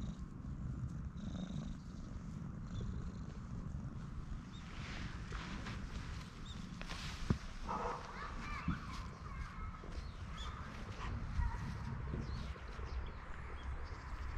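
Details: Stray cat seeking affection, purring loudly while rubbing against legs, filmed on a GoPro HERO8; a steady low rumbling purr runs throughout with faint higher sounds and small clicks over it.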